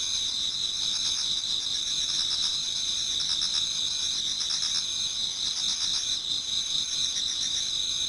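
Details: Autumn insects in a Japanese garden singing as dawn approaches: shrill, steady ringing tones from many callers, with bursts of rhythmic pulsed chirping coming and going throughout.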